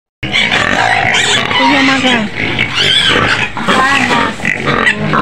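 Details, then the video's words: Penned white pig near Medan, on the city outskirts, screaming loudly: rough, grating squeals with brief bending whistled tones, nearly continuous, with voices audible in the background. "SUARA BABI PUTIH MENJERIT JERIT DI KANDANG"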